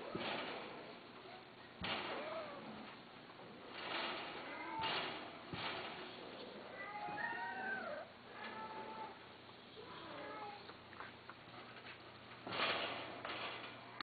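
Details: Cats kept as pets: several thin, wavering meows, some rising and falling, scattered over fourteen seconds among bumps, rustling and indistinct background noise.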